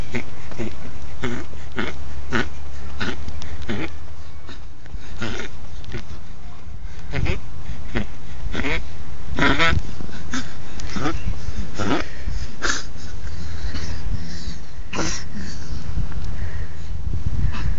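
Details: Tinker, a 14-year-old Pomeranian, humping his toy frog girlfriend Tinkerbell in a garage; quick, rhythmic breathy snorts in steady bursts, with a woman talking and encouraging him over the top.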